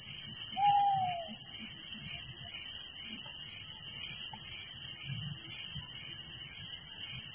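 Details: Night crickets in a village keep up a shrill, unbroken pulsing chorus; near the start a single mid-pitched whistle slides downward once, and faint low rumbles sit beneath.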